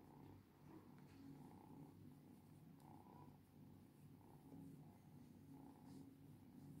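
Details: Steady cat purring, a deep vibrating hum whose upper tones brighten in regular breath cycles roughly every second, with no other sounds competing.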